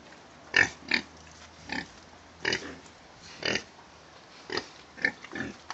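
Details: Domestic pigs kept in a clean, well-maintained pen give short, harsh, broadband grunts and squeals, spaced roughly every half second to one second, about nine bursts in all, with faint background hiss between them.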